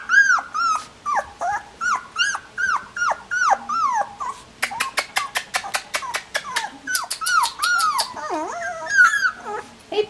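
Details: Sixteen-day-old collie puppies whining: repeated downward-bending cries around the middle range, then a burst of sharp high squeaks, then mixed wavering whimpers from more than one pup.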